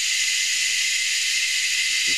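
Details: Cicadas of several species, hidden up in the trees at Anstead, Queensland, Australia, fill the air with an even, intense high buzz, a sustained hiss-like drone with a faint steady whine inside it, and a soft low knock near the end.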